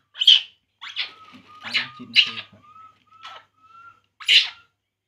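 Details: Baby monkey drinking milk and crying: several short shrill squeals, some softer and clustered, with a faint low rumble midway and a thin sustained tone between the cries, ending on one loud squeal.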